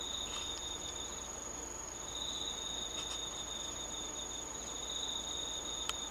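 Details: Autumn insects at night under the moon, 19 August 2013: a constant high ringing tone overlaid by a long, high, sustained trill that stops briefly and resumes, with a couple of sharp clicks near the end.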